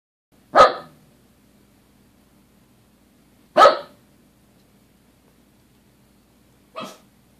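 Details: Two dogs indoors barking at nothing; three sharp single barks spaced about three seconds apart, the last one softer, over a faint low hum.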